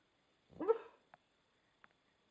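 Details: Sleeping American Staffordshire Terrier giving a single short, soft, muffled woof, followed by faint clicks in an otherwise quiet room.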